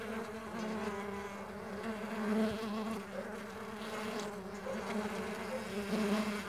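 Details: Several Mandaçaia stingless bees flying together make a dense, overlapping buzz, steady and humming, with brief louder swells as single bees drift nearer around 2.4 and 6 seconds.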